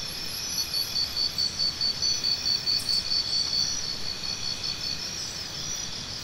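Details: Cricket chirping in a steady high-pitched series of short pulses, about two per second, over a constant chorus of other insects with faint higher trills.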